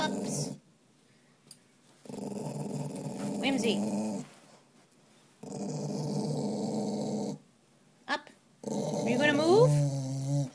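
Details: Male spaniel mix dog resisting being taken on a walk: repeated deep, rattling growls lasting one to two seconds each, with short silences between them. A person's voice cuts in briefly near the end.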